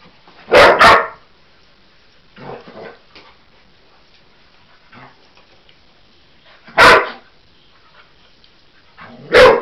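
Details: Cocker Spaniel Husky mix dog barking at a toy animal it takes for real, indoors: a loud double bark, a softer muffled bark, a pause, then two more single loud barks spaced a few seconds apart.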